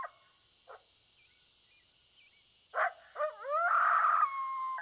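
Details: During a predator hunt, a coyote gives a few isolated barks, then quick wavering yips that swell into a loud sustained howl, over a faint steady hiss.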